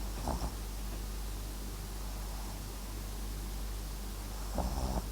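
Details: Snores from MAX, a Papillon crossed with a Japanese Chin, asleep: a brief rattling breath at the start and another longer, rasping, fluttered one near the end, with quiet steady hiss between.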